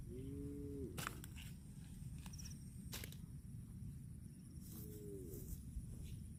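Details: Two brief moos from cattle grazing on grass, each a level tone that drops at its close, spaced about four seconds apart, with sharp clicks and a low rumbling background between them.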